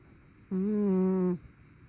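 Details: A single snore from a sleeping brown tabby cat, a low humming tone under a second long that rises slightly, then holds steady before stopping abruptly, with quiet room hiss around it.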